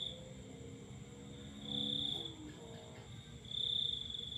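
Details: Cricket calling at night beneath a full moon, two short high trilled bursts separated by quieter stretches, with faint lower wavering tones in the background.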